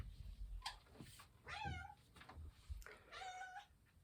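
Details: Female domestic cat indoors calling to its owner, two drawn-out meows with a rising then falling pitch about a second and a half apart, over a low room hum and faint background noise.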